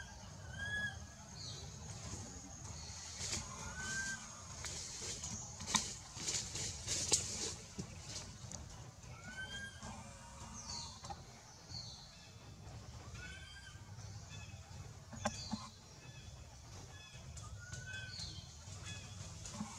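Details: A frightened baby monkey, held by another monkey that won't release it, gives thin, arching squeals every few seconds, calling for its mother.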